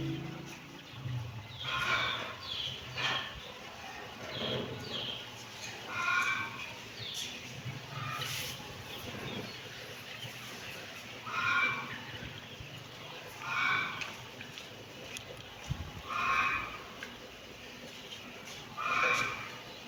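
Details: A series of squeaky kitten mews, each brief and shrill, repeated every couple of seconds against a soft background hiss and occasional thumps.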